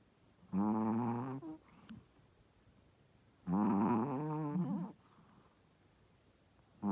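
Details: A pregnant female Shih Tzu, a first-time mother, snores while sleeping in long, rough, droning breaths about every three seconds.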